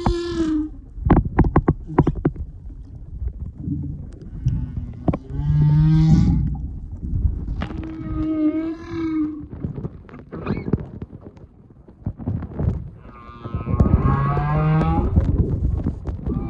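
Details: Mother and calf humpback whales on a close visit in February 2022, giving a string of deep moaning and whooping calls, some rising and wavering with rich overtones, a few seconds apart, between sharp knocking and crackling sounds.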